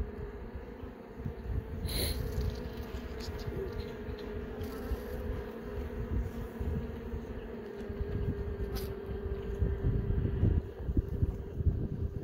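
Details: Honey bees during a hive inspection, several young bees emerging from brood cells; a sustained buzzing drone with a strong mid-pitched tone and low rumble, plus two brief sharp clicks.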